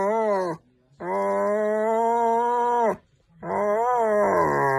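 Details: German Shepherd dog sustaining a steady, moaning howl for about two seconds, bracketed by shorter howls that dip and rise in pitch, with clean pauses between them.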